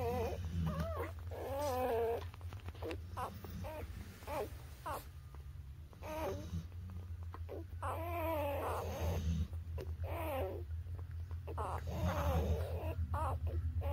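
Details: Newborn puppies up to three weeks old whine and squeak in uneven bursts, wobbling cries clustered near the start and middle, mixed with snuffling and shuffling over a persistent low hum.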